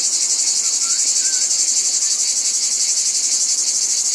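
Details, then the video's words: Cicadas in a dense, shrill, high-pitched buzzing chorus that pulses steadily about four times a second, with two faint, brief whistled notes early on. "Cicadas | Black Screen Sounds"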